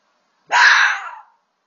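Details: Red fox (Vulpes vulpes), call.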